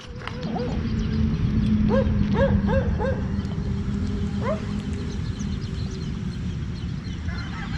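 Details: Pet Siberian Husky in the morning, short high whining yips with rising-falling harmonics, a quick run of four around two to three seconds in and one more later, over a steady low hum.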